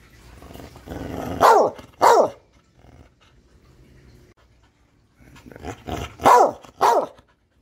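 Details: Catahoula dog growling low and rumbling, then barking twice in a sharp pair; after a quiet pause, another grumbling build-up leads into two more punchy barks.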